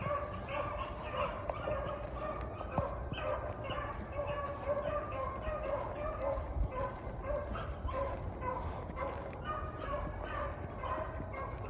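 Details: Female beagle on a rabbit track, hunting for hours and steadily giving mouth: continuous, repeated hound bays about twice a second with harmonic, bawling tones, over outdoor rustle and low background noise.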